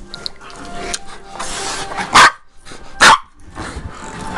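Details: A pet dog gives two loud, sharp barks about a second apart, between stretches of a person talking, with faint music underneath.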